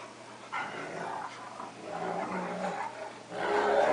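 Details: Rough-and-tumble play between a pet cocker spaniel and a wolf-akita cross dog: a steady low, raspy growling runs almost throughout, swelling louder toward the end.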